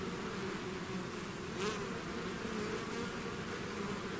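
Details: Bees swarming out of their hive make a thick, unbroken buzz, steady and low, with one brief brighter buzz of a bee passing near the middle.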